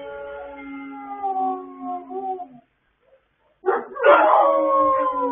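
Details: Late-night howling by several dogs, recorded 26 October 2022: steady, low, drawn-out notes held for over two seconds, a short pause, then a harsh, rougher burst rising into a loud, higher group howl.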